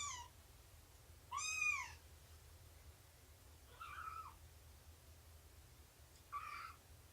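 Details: Shelby, an abandoned cat estimated at two years old and mother of a three-month-old litter, calls during morning nursing and play: four short meows spread across seven seconds, one bright and arching, the others softer and wavering, over quiet room hiss.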